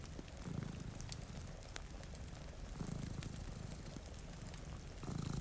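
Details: Two cats sleeping before a rainy window purr in low rumbling bursts, a few seconds apart, over steady rain hiss and sharp crackles from a cozy fireplace.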